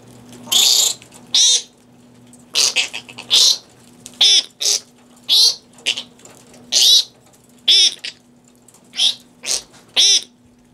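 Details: Fruit bats at Cranbrook Institute of Science, Michigan, squabbling over fresh romaine lettuce, filmed with infrared lighting; a busy run of about fourteen rasping, scratchy squawks, often in close pairs, over a low continuous hum.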